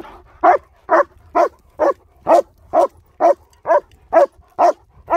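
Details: German Shepherds Nico and Zeeva, in a dog training and rehabilitation setting in Hawick, recorded on a Samsung S23 Ultra: a steady run of about eleven sharp, loud barks, evenly spaced at roughly two per second, over a quiet background.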